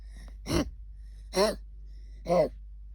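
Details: A female English cocker spaniel puppy with kennel cough, since cured, gives three harsh, honking coughs about a second apart.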